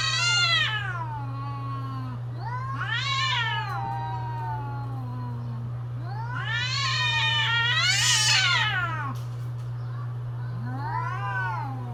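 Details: Cats calling in mating season with a run of loud warbling yowls, several rising to shrill peaks and falling away, interleaved with lower moaning replies, over a persistent low hum.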